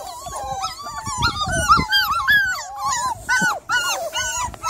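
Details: Miniature Labradoodle recorded in the evening on 3rd July, producing loud, bending whimpers and squealing yelps that swoop up and down in quick succession, with faint thumps and shuffling underneath.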